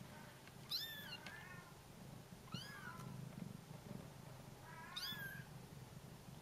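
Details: Bengal kittens calling for their mother while she is away on a short walk: three high, thin mews about two seconds apart, each sliding downward, over a low steady background hum.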